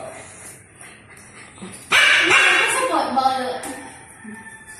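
A Siberian Husky gives a loud, wavering howl that slides downward after a quiet start.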